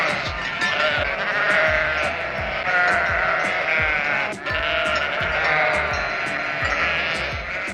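Sheep bleating in wavering, nasal 'baa' calls, set against steady background music with a light rhythmic beat.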